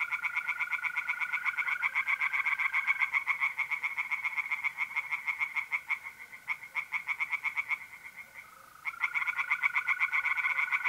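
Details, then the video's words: Dense tree frog chorus in a pond on a mid-April night in North-East Italy, rapid raspy pulses almost continuous with a brief lull, over steady trilling of mole crickets. "relaxing singing tree frogs in pond and trilling mole crickets by night"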